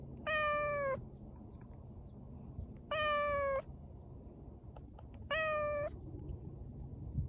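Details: Bori, a stray cat out walking on a warm spring day, gives three clear, drawn-out meows, each under a second and spaced roughly two and a half seconds apart, over low outdoor rumble.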